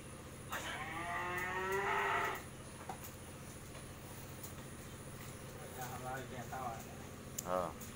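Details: A Mundi cow on a dairy farm, a first-calf cow giving 20 litres of milk and kept with her bull calf, lets out one long harmonic moo of nearly two seconds. Fainter short sounds follow, over a steady engine hum and traffic noise.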